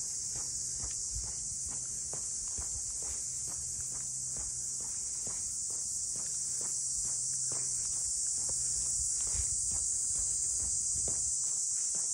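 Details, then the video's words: Steady high-pitched buzzing drone of cicadas fills the air around the boathouse port town of Ine, north of Kyoto, continuous without pause, while footsteps tap along at a walking pace below. "cicadas voice"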